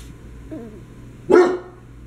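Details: Dachshund puppy Bernadette playing indoors with her older siblings, an Old English Sheepdog and a Basset Hound; a soft whine is followed by one sharp, loud bark, with a steady low hum behind.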